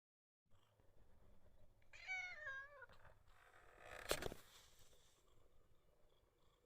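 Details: Rescued calico cat giving a sweet, coaxing meow: one drawn-out harmonic mew that wavers and falls over almost a second, followed by a short rustling thump in a quiet small room.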